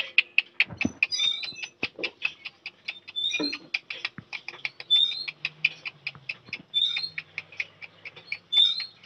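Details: Puppies play-fighting in a village: a dense, fast run of sharp, high-pitched yips and squeals, nearly continuous for nine seconds, with short thin whistled notes mixed in and soft low thumps of scuffling.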